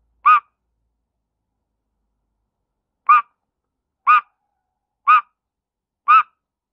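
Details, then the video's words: Frog screaming: five short, sharp, harmonic squeals, the first alone, then after a pause of almost three seconds four more at steady one-second intervals, each a brief nasal yelp against a silent background. "funny frog screaming"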